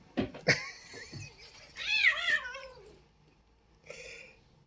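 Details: A pet cat in the middle of a play session indoors: sharp clicks and thumps, then a drawn-out, wavering meow that bends up and down, followed by a short softer call near the end.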